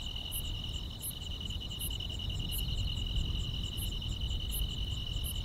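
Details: Summer-night chorus of grass insects: a shrill continuous trill and regularly spaced high chirps, partly covered by heavy low rumbling background noise.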